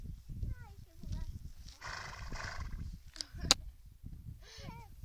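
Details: Horses at Koszewo recorded on 18 June 2008: short whinnies with falling tones, one early and a curved, wavering one near the end, amid people talking in Polish and rustling noise.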